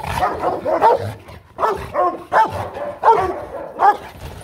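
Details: Hostile Rottweiler warning off another dog with rapid, forceful barks, roughly five harsh rough-edged barks in under five seconds, each a gruff burst with a growling undertone.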